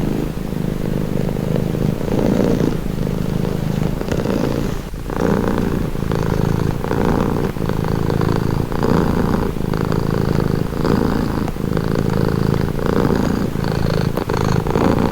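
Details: Calming purr of a domestic cat, a deep vibrating rumble rising and falling with each breath roughly every second, steady rhythm sustained throughout, heard up close.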